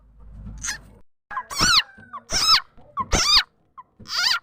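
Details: Frog locally called khiat chana or khiat mo, whose voice serves as a lure for trapping birds and fowl; four strong nasal, wavering squeals repeated about once a second, each with rich overtones, after a quiet low hum.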